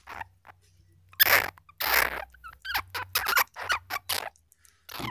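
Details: Flying squirrel calls, clear recording meant for luring in the wild: harsh, raspy broadband bursts, some long and some short, in irregular clusters over a low steady hum.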